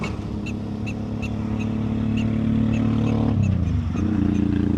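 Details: Prairie dog chit-chatting with its owner, giving a steady series of short, sharp chirps about four per second, over a loud, low engine-like drone that dips near the end.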